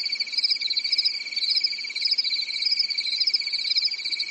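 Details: Summer-night crickets in Europe give a constant high-pitched trill, with louder chirps swelling about twice each second over a soft, even background.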